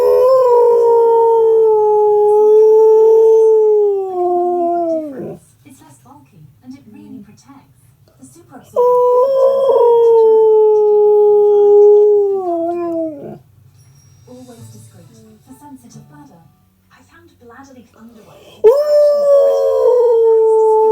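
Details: A pet husky's usual morning vocal 'discussion', likened to revving an invisible motorbike. Three long, loud, mid-pitched howls hold steady, then dip and trail off. Short quiet gaps with faint low murmurs separate them.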